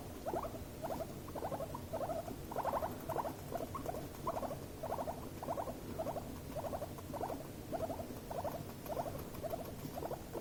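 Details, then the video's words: Two guinea pigs under stress and escalating: rapid pulsed squeak bursts repeated about once a second over a low rumbling background, a chattering, stuttering pattern throughout. "Meerschweinchen: Stress-Quieken, Zähne klappern und Eskalation!"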